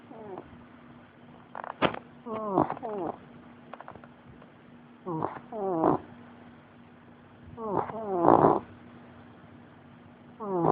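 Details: Sleeping American Bulldog snoring: bursts of pulsed, harmonic rasping snores with rising and falling pitch, recurring every two to three seconds between quiet breaths, over a faint steady low hum.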